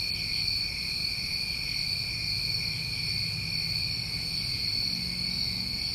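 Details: A dense, even cricket chorus from a New England summer, steady high trills in stacked bands with no pauses, backed by a quiet low hum.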